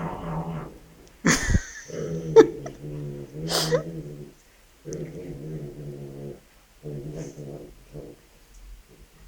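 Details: Shih Tzu puppies, a brother and sister, playing together, with the father dog reacting to his son playing with a stuffed toy; low harmonic growling in drawn-out bouts of about a second, broken by sharp yelps and squeals.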